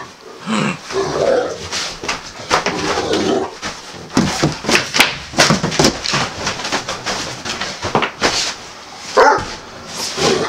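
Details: Male Great Dane indoors, refusing to get off a bed while being told to leave; rough, bark-like grumbling bursts repeated throughout, with a short harmonic whine near the end in a small room.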